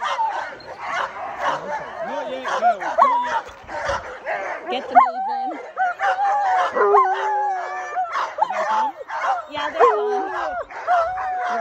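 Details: Alaskan Malamutes, two females named Sojou and Dotty, getting ready to set off at full speed on a sled dog run behind a bigger team; excited yips, whines and howl-like wavering cries overlap with human voices.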